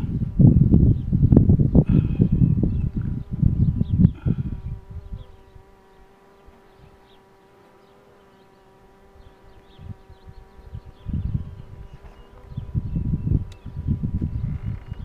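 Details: Honey bee hum during the pulling of a queen box, a constant low drone clearest in a quieter middle stretch, framed by loud bursts of knocking and rustling at the start and again near the end.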